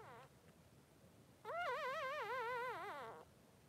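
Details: Blenheim Cavalier King Charles Spaniel pup, just three days old, with mother Pom-Pom in the pen: a short falling squeak, then one long cry of nearly two seconds that trembles up and down steadily before cutting off.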